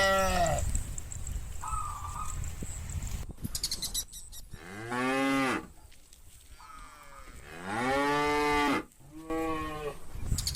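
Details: Tame cattle herd in a large countryside field in the afternoon, with bulls calling the herd back to the farm pen: several long, deep, drawn-out moos with rich harmonics, separated by quieter stretches of rustling field noise.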